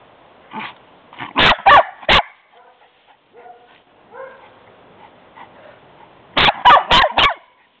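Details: Pet dog barking and playing on seeing its owner pull up: two bursts of short, sharp barks, three then four in quick succession, with softer whines and yips between them indoors.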